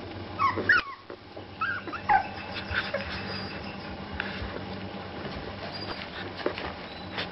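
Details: Playing Shar Pei puppies let out a quick cluster of squeaky, high yips in the first two seconds, then quieter shuffling and scattered faint squeaks over a constant low background hum.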